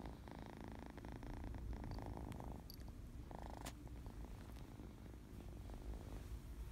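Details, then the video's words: Happy, playful kitten on allergy medicine purring: a steady low rumbling purr runs through the whole recording, with a few faint brighter bursts in the middle. "Kitten purring"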